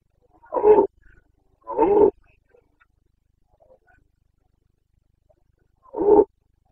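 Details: Carpathian red deer stag in rut in Bucovina forests, September 2022: two harsh roars a second apart, a pause of almost four seconds, then a third matching bellow; quiet surroundings.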